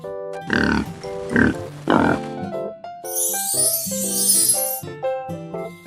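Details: Warthog giving three short, harsh, noisy grunts in quick succession over children's background music, followed by a bright shimmering chime passage and more music.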